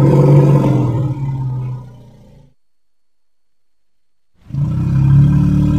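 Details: Elephant. A deep, throaty elephant roar rumbles at a low pitch before trailing off into silence. After about two seconds of quiet, a second heavy, rumbling call builds up again.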